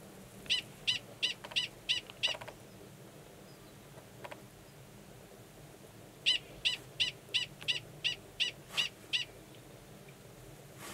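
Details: Gunnison's prairie dog, male 45, calling for about ten minutes before copulating with an estrous female in a burrow, New Mexico, March 2017; six rapid high yips, a quiet stretch, then a run of about eight.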